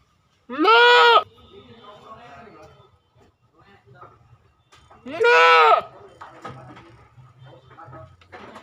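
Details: Goat calls twice with strained, vibrato-laden bleats about four and a half seconds apart. Quiet murmuring and low hum sound between and after the calls.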